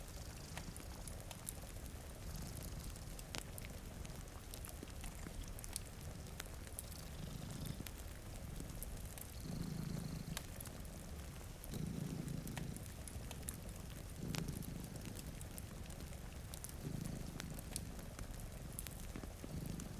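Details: Two cats sleeping in front of a rainy window purr steadily, a low rumbling throb swelling in slow cycles every two to three seconds, with sharp crackles of a fireplace and soft patter of rain throughout.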